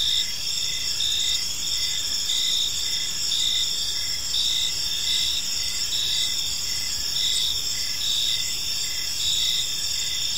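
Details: Evening park crickets: dense shrill chorus of overlapping trills, with short chirps repeated roughly once a second on top of a constant ringing hum, low faint rumble underneath.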